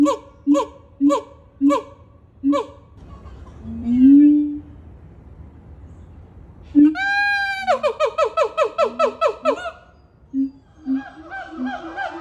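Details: A Sumatran siamang (Symphalangus syndactylus) howls and screams while leaping, giving loud harmonic hoots, a deep booming note, then a rising scream and rapid barking calls. The calls carry long distances.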